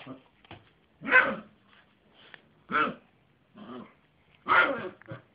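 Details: Yorkshire terrier, a pet dog, barking indoors: a few short, sharp yaps spaced about one to two seconds apart, with softer grunting sounds between them.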